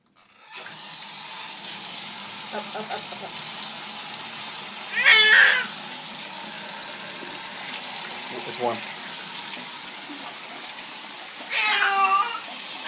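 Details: Parla, a black and white pet cat, protests loudly while being bathed, a task she hates. Two drawn-out, harmonic meows rise and fall about six seconds apart, over steady running tap water and brief human speech.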